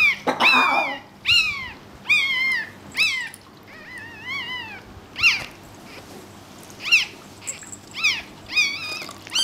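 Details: A newborn Pekingese puppy cries in thin, shrill, squeaky squeals that arch up and down, unevenly about every one to two seconds, indoors and quietly, while its mother labours to deliver a second puppy.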